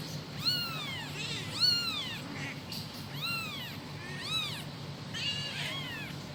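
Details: Kitten calling for its mother with five high arched meows, each a quick rise and fall, spaced roughly a second apart, with a low steady hum underneath.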